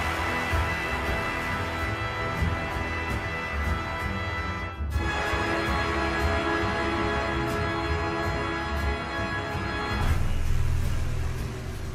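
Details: Dramatic instrumental music plays throughout with a steady pulsing beat and sustained tones, a brief drop near five seconds, and no animal voice.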